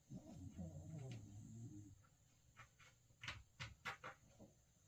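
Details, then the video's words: A sleeping puppy snores and talks in its sleep: a low, wavering, groaning murmur lasting about two seconds, followed by quiet breathing and several sharp soft clicks or taps indoors. "잠꼬태 코고는 강아지"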